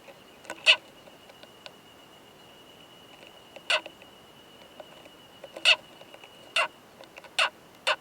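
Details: Male Oomadarakokunusuto beetle with a female in a high-mountain pine forest, making loud, harsh "kan kan kan" knocks during mating, recorded close up: sharp clacking pulses in irregular bursts, about six in eight seconds, over a faint steady high tone.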